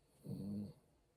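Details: A Bichon Frise snoring: a single short, soft rasping breath lasting about half a second, low and buzzy, rising then fading, in an otherwise quiet room.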